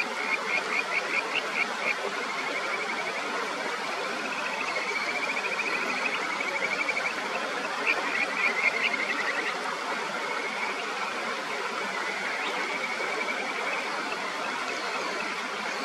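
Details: Kajika frogs in the clear upper Natori River, Sendai, Japan, calling back and forth in a song battle: several short, rapid, pulsed trills at intervals, set over a steady rushing of stream water.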